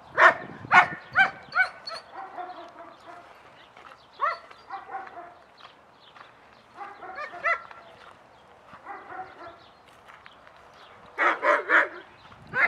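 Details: Several German Shepherds at a dog social class on 6/20/20, excited barking and reactions at the start of the session; bursts of sharp barks cluster early, in the middle and near the end, with overlapping dogs.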